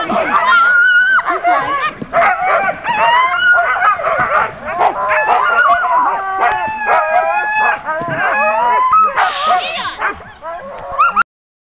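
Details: Sled dogs being hooked up to go sledding at Tamarack Sno-Park, heard from a passenger in the sled: a dense, excited chorus of overlapping high whines, yips and wavering howls, nearly continuous for about eleven seconds.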